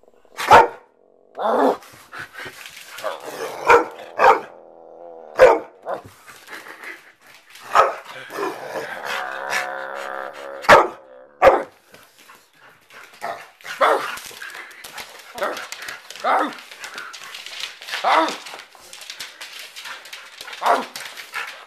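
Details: Playing pet dog Jackson from upstate New York barks rapidly and excitedly, short yelps and barks crowding together, with a tonal humming sound in the middle stretch and bursts of mixed noise throughout.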